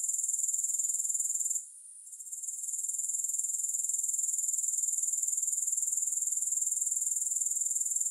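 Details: High-pitched grasshopper trill, rapid and rhythmically pulsed, dipping into a short quiet gap around two seconds before returning steadily; played without music.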